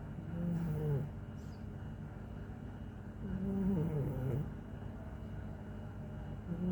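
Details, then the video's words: Bimo, a chubby pet cat, snoring: low rumbling breaths with wavering tonal snorts near the start and again around the middle, a steady low hum underneath. "Bimo ngorok"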